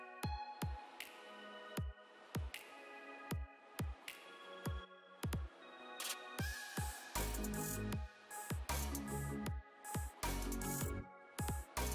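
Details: Electronic dance music with heavy bass drops, sharp repeated percussive hits and bright synth tones, with no animal voice heard.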